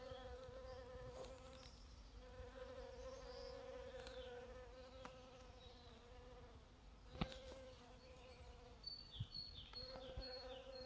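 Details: Steady, low droning buzz of bees working purple dead-nettle flowers, the hum holding almost without a break throughout. A few sharp knocks and faint high bird chirps are heard toward the end.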